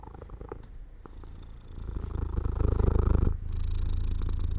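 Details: Domestic cat purring as it falls asleep near an open window in sunlight; steady low rumbling purr with rapid pulsing, growing louder midway, briefly breaking off, then resuming at an even level.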